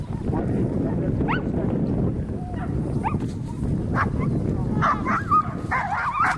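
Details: Whippet named Volk during a circular training run at Novy Milet on 30 October 2016: a few short rising whimpering yips, then a tighter cluster of high wavering whines near the end, over steady rumbling background noise.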